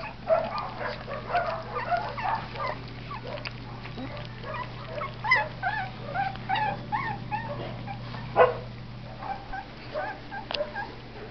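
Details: Winter 2011 litter of Blue and Red Heeler pups feeding together with their Texas Heeler half siblings; a busy stream of small squeaky whimpers and brief yelps overlapping from several puppies, with a steady low hum underneath.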